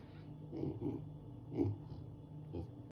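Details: Luna, a young female leopard cub, talks in short soft grunts, four separate low voiced sounds about a second apart with a faint tonal hum, in a quiet indoor room.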